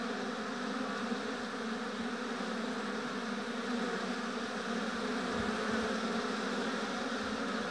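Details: Steady droning hum of many honey bees at an apiary hive, thick and unbroken, layered tones stacked above a low fundamental, with a couple of soft low thumps toward the end.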